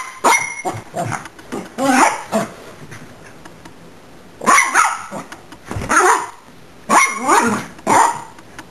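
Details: A Miniature Pinscher, upset at being recorded by a camera, gives bursts of sharp, high barks and yaps, with brief growly notes between.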